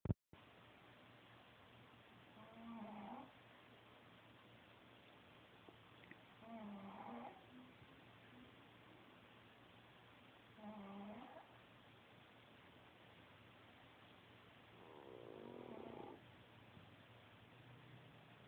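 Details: Kaytee, a Pekingese, snores in slow, rasping bursts about every four seconds while asleep in the afternoon, recorded from across the room; she is a very loud snorer and later wakes disoriented.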